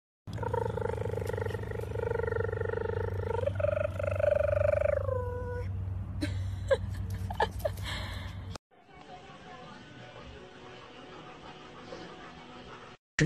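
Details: Siberian Husky giving a drawn-out, tonal howling vocalization with rich harmonics, held steady, then rising and sliding downward over about five seconds, followed by clatter, a brief gap and background noise.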